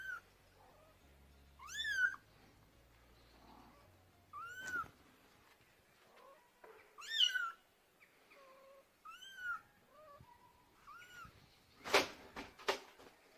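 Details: Young kittens calling for their mother: a series of high, arched meows spaced irregularly across the recording, some clear and tonal, others softer. A sharp broadband knock near the end and a low hum early on.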